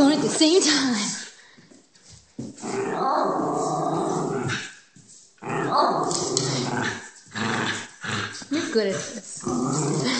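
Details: Eva, a Schnauzer, growls indoors while playing chase over an empty peanut butter jar held in her mouth. Sustained rough rumbling comes in two long stretches, mixed with a person's excited talking and footsteps from running around.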